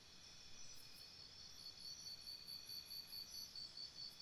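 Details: At a campsite after dark, crickets produce a thin, shrill pulsed trill that grows stronger across the four seconds, pulses coming roughly twice per second, with a faint higher insect whine and soft low hiss beneath.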